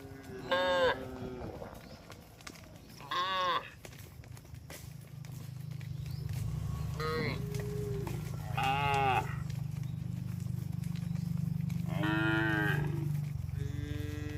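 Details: Tame cattle herded along a road as a group; five short, harmonic moos scattered across the recording, the later ones partly masked by a loud, steady low rumble that builds up midway.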